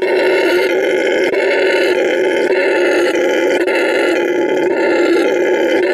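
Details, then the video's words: A howler monkey's harsh roar runs continuous and throaty for six seconds, dense and unbroken, with faint pulsing texture throughout. "Howler monkey sound"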